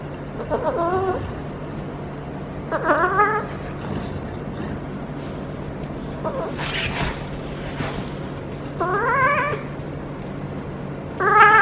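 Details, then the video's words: Feral female cat caterwauling during her first heat while rolling and being petted on her lower back. Five wavering, nasal yowls come roughly every two to three seconds, each rising then dropping, over a steady low hum and some soft rustling. "Feral Cat in HEAT makes UNBELIEVABLE Noises!"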